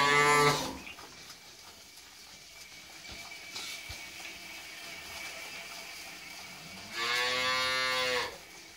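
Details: Holstein Friesian cow with a heifer calf, second calving, offered for sale; a short moo at the start, a quiet gap, then a second full, steady moo just over a second long.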